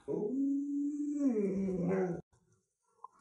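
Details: Pet Alaskan Malamute howling indoors: one long, steady mid-pitched tone holding for about a second, then bending downward into a rougher, throaty wail before stopping abruptly, followed by quiet.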